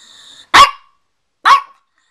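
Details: A Pekingese gives two short, sharp, bright, slightly rasping high-pitched barks about a second apart, after a faint steady background hum; recorded September 28, 2010.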